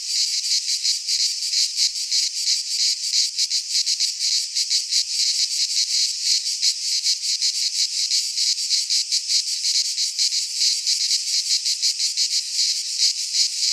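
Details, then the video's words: Greek cicadas in a pine forest at midsummer, their shrill buzzing song throbbing in quick, even pulses across the whole stretch, loud and constant with a quiet background. "Cicadas singing in midsummer - Nature sounds from the Greek fauna - Sounds of cicadas"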